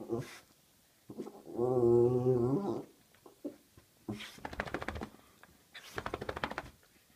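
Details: Itchy dog giving a funny, low, droning groan of about one second early on, followed by two bursts of rapid, rasping pulses with quiet gaps between them.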